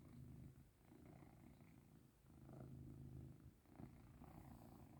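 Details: Pet cat being rubbed and shown affection, purring in a deep rolling drone that swells and fades with each breath, two short breaks.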